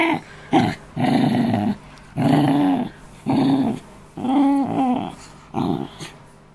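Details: Australian terrier cross dog guarding his after-meal toy indoors, bothered by a person and another dog: deep rumbling growls in long bursts, about one second each, rising into snarling tones, with short pauses between.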